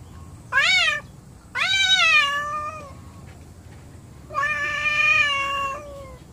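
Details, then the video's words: Angry house cats hostile to each other: three wailing meows, the first short, the next two long and sagging in pitch, rich in overtones, against a faint indoor hum. "My Angry Cats"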